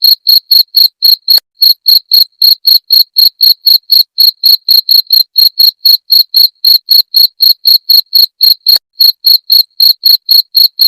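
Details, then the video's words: Cricket sound offered as a rat repellent: clear, steady chirps of a high, pure tone with a faint higher overtone, about four per second, evenly spaced over a silent background, with nothing else heard. "Suara Jangkrik pengusir tikus"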